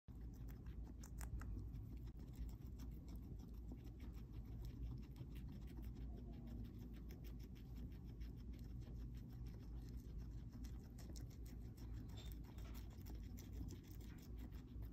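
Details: Two pet guinea pigs, Marcel and Van Gogh, munching their breakfast indoors: a rapid, steady stream of fine crunchy clicks and patters from chewing, continuing without pause, with a low background hum.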